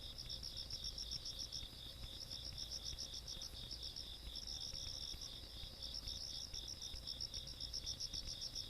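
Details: Countryside night insect chorus recorded 17 August 2022. A continuous shrill trill is topped by rapid, evenly pulsed high chirps that fade briefly and resume, with a soft low background hum throughout.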